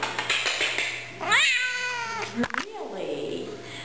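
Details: Male F2B Savannah cat, 12 months old and over 27 pounds, indoors and asked to say hello; one loud meow that sweeps upward and then holds level before cutting off, with a woman talking before it.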